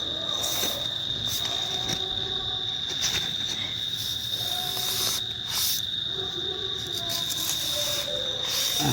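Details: A cricket holds a steady, high, unbroken trill while people nearby talk as they try to catch it.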